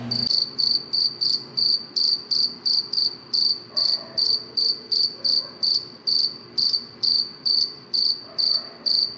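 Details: A cricket chirps through the night in a fast, regular series of bright, high-pitched pulses, about two and a half per second, with a faint low thump at the very start.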